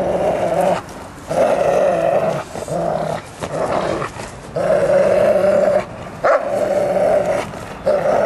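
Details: Bernese Mountain Dog play-fighting with its owner, giving deep rumbling growls in bursts of one to two seconds separated by short gaps, repeated about eighteen times a minute.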